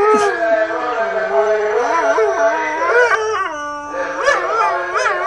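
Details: A Siberian husky howls in long, wavering tones that slide up and down in pitch, annoyed by a street vendor's loudspeakers.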